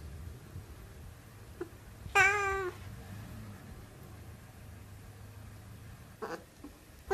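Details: Siamese cat giving a single clear, wavering meow after two seconds of quiet, followed by faint rustling and a soft clicking noise near the end.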